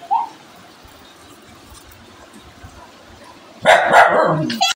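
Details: An angry dog gives a short high yelp, then a long near-silent pause, then a sudden loud, rough, broadband bark burst lasting almost a second near the end.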